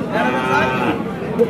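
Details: Dairy cows with calves, improved and local desi breeds, at the Chowbaria cattle market in Manda, Naogaon, Bangladesh, recorded 9 November 2018: one drawn-out, steady moo of about a second, heard over busy market chatter and voices.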